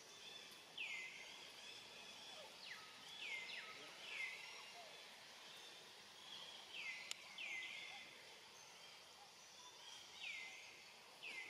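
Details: Young monkey called Rainbow, alone and hungry, looking around and calling for its family: about eight high-pitched cries, each sliding steeply down and then holding a thin, level whistled tone, repeated at uneven intervals over a steady outdoor hiss.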